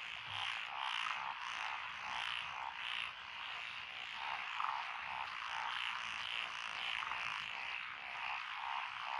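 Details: Frog chorus in lotus rice paddies along a country road in Echizen, Fukui, Japan, June 2021, with tree frogs, Tokyo daruma pond frogs, wrinkled frogs, Schlegel's green tree frogs and forest green tree frogs: dense overlapping croaks and trills, pulsing rhythmically.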